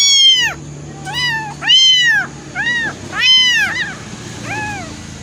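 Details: Two abandoned kittens, thrown away and newly taken in, waiting to be fed milk; high arched meows with rich harmonics, six calls in about five seconds, spaced roughly a second apart, some louder, the last fainter, over a low steady hum.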